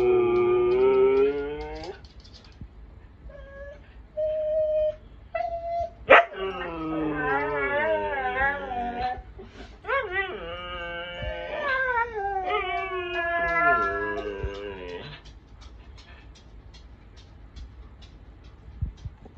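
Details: Siberian Huskies howling together: long, wavering, harmonic howls that rise and fall, several voices overlapping, with brief short yips between, then fading to quiet near the end.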